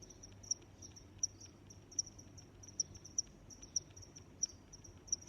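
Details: Cricket chirping, short high chirps at a steady pitch repeating roughly every three-quarters of a second over a soft continuous high trill and faint low background rumble.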